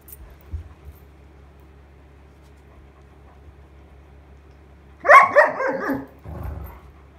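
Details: Sheyenne, a frustrated Irish Setter, barks wanting her toy back: a burst of loud, harsh, broadband barks around five seconds in, followed by a shorter softer bark, after quiet low hum.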